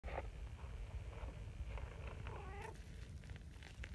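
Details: Quiet, affectionate female brown tabby cat purring steadily as a low continuous rumble, then giving a short mewing call that bends upward near the end, with light rustling in the background.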